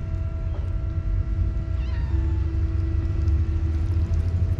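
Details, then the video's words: Hungry stray cats in a village, angry after a feeding one day late, following their feeder; a brief, faint meow with curving harmonics sounds once over a steady low engine-like hum. "Stray cats who got angry at me because I was late to feed them."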